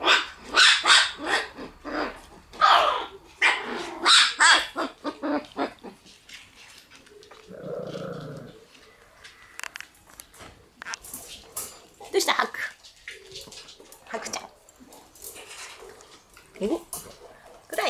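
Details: Black Shiba Inu puppies on their room debut, January 29–30, give sharp, rapid yips and barks in dense bursts over the first six seconds, then a lower, muffled voiced stretch, followed by scattered high yelps.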